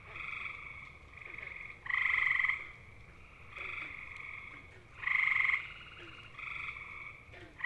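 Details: Male gray tree frogs (Hyla versicolor) trilling for a mate in eastern North American woodland: two loud pulsed trills near the front, each under a second, with quieter distant trills from other frogs filling the gaps.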